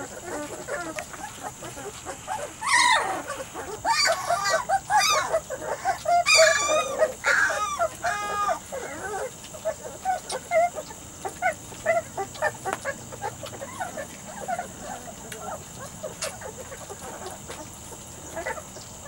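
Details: Young Weimaraner and Vizsla cross pups, aged three to four weeks, in Biscuit's litter: loud shrill harmonic squeals cluster early on, then settle into quieter scattered yelps and whimpers.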